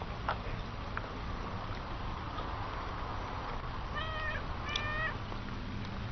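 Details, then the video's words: Chatty cat giving two quick, level meows close together near the end, over a steady background hiss. "Chatty Cat is Chatty"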